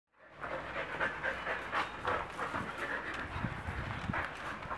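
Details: Dog, from a Thai Ridgeback versus Labrador comparison, panting hard and fast in quick breathy huffs, roughly four per second, steady throughout, with a low rumbling background.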